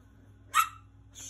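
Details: An angry little dog gives one sharp, high bark with a bright ringing tone, followed by a fainter second sound at the end; quiet room hum underneath.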